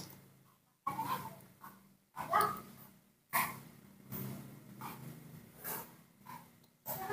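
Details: Newborn baby monkey, hand-raised at home, hungry after waking and asking for milk; short whimpering, squeaky cries come in uneven bursts about once a second, over a low steady hum and soft breathy noises.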